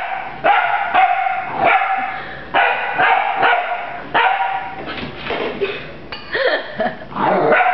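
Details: Rafiiki the puppy barks while attacking a broom: repeated high-pitched yappy barks, some with a whiny rising edge, coming in uneven bursts with brief pauses.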